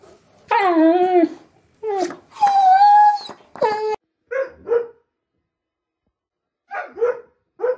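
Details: An Alaskan Malamute howls in wavering, voice-like tones that slide up and down in pitch, with a cat on the roof.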